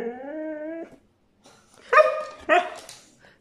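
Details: A brown Siberian Husky (male) gives a long rising whine, then two sharp, yelping complaints, demanding to go outside again.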